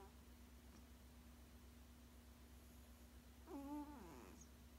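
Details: Sleeping 16-year-old male cat, indoors, lets out one brief wavering hummed moan near the end, layered with overtones, after a stretch of near silence and a low constant electrical hum.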